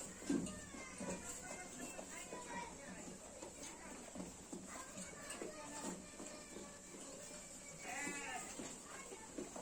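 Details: Sheep on a sheep farm, recorded by a still camera, bleat in wavering, quavering bursts over a steady high hiss, possibly with voices in the background.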